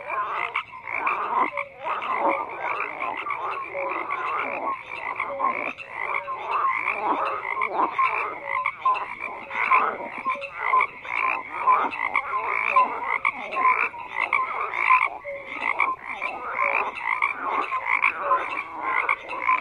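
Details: Many frogs croak at once in a thick, continuous chorus; raspy pulsed calls overlap while brief tonal chirps stand out now and then.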